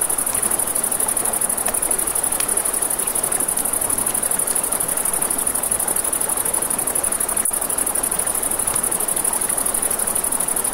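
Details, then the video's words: Crickets at night by a river beside a crackling campfire: a steady, high, rapidly pulsing trill runs throughout, with sharp fire snaps and pops and a soft rushing river underneath. "Crackling Fire, Crickets, Ambient Nature Sounds"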